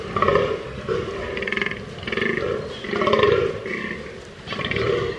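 Fallow deer giving a series of deep, rough, groaning calls, each lasting about a second.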